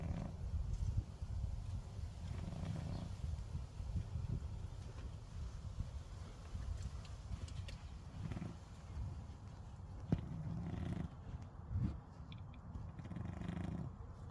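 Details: A napping house cat snores steadily, giving a deep, muffled rumble with breaths rising and falling every few seconds. A couple of faint clicks are heard near the end.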